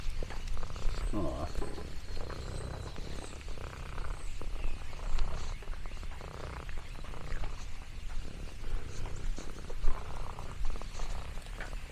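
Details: Lexi, an orange tabby cat exploring a countryside farm, purring contentedly: a low, continuous rumbling purr beneath scattered crinkling and crackling of leaves.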